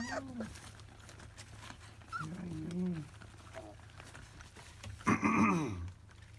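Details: Labrador Retriever puppies of a field line, aged 25 days, at their first small meal of weaning food. Short wavering whimpers come first, then a louder, sharper squeal near the end, with faint human voices and a low background hum.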